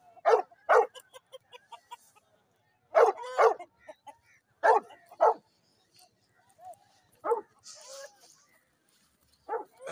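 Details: American Bully dogs in Pakistan during a fight match: loud, harsh barks, mostly in doubled bursts spaced a few seconds apart, with quieter yips and whimper-like sounds between them.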